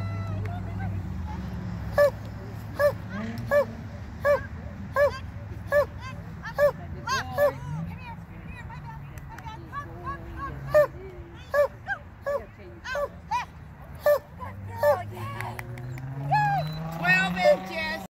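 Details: Border Collie in novice agility, giving a long series of repeated barks at a brisk, uneven rhythm. Background voices, crowd babble and a low passing vehicle drone are heard throughout.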